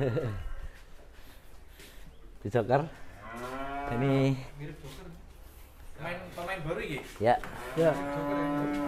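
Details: Cattle lowing: a drawn-out, deep moo of over a second with rich harmonics, then a shorter moo near the end, while people talk throughout.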